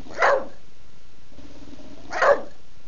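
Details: A female bulldog named Betty demands dinner at mealtime on a Sunday indoors; two sharp barks about two seconds apart, with a soft human voice murmuring between them.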